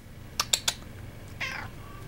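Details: Pet Korat cat being silly indoors as someone offers it milk: three sharp clicks, then one short, breathy, falling meow with faint harmonics.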